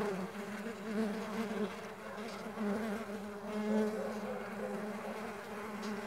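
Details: Several Mandaçaia stingless bees buzz steadily while flying. Their low, even drone carries bright overtones, with passing bees briefly swelling the hum.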